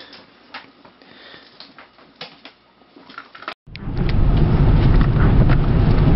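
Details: Soft indoor knocks and rustles give way after a brief cut to a loud, steady low rumble like a moving vehicle, with no animal voice.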